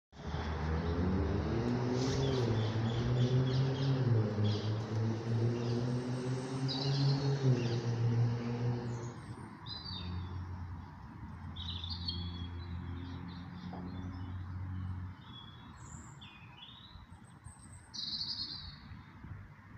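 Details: A bumblebee trapped between daffodils buzzes loudly and low, its droning pitch wavering, with birds chirping faintly behind.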